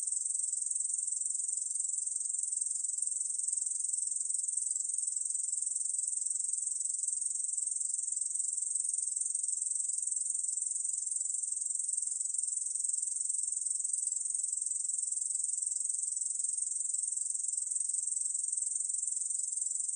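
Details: Korean bush cricket singing a continuous, dense, high-pitched buzzing trill that holds steady without a break for the whole stretch. No other sounds are heard.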